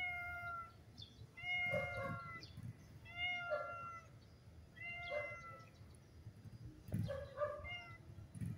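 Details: Stray tuxedo cat, blind, mews repeatedly and insistently, five short rising-falling meows about every one and a half seconds over low background rumble while being fed.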